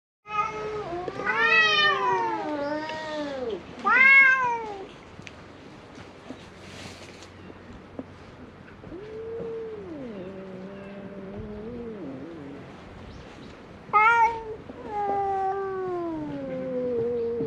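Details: Stray cats fighting on a cat island in Japan: harsh yowling caterwauls that rise and fall, several drawn-out wails in quick succession, then quieter low moaning growls and another burst of yowls, recorded on a GoPro.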